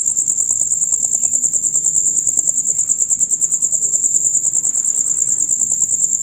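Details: Male crickets in a loud rapid chirping chorus heard from dusk until dawn; a continuous high shrill pulsing trill, steady and unbroken, with faint low background murmur beneath.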